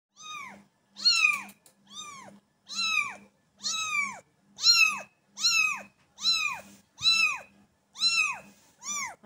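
A kitten meows repeatedly, each high, thin cry arching up then falling, about once a second.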